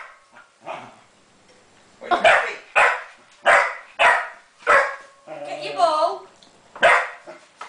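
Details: Springer Spaniel bitch barking at a copper pot holding her ball; faint barks at first, then a run of loud sharp barks roughly every half second, interrupted by a whining, yelping vocalisation.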